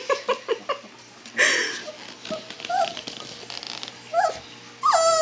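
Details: A Siberian Husky puppy, howling for the first time, gives short yips, then thin, wavering howls that rise and fall.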